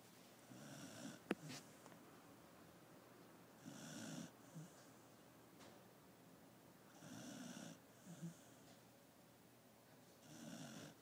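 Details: Napping pet dog Koro snores in a steady rhythm, each rough, breathy snore coming about every three seconds, with a sharp click early on and quiet room hiss between breaths.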